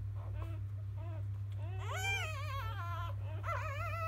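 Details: Newborn field-line Labrador Retriever puppies, born to 2017 JFA grand champion biscuit, whimpering after nursing in the morning: thin, wavering, rising-and-falling cries in a few bursts over a steady low hum.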